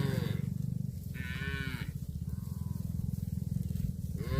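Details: Cattle eating grass, letting out several short, nasal moos with rich harmonics, one lasting nearly a second and briefer ones after it, over a constant low, rapidly pulsing rumble.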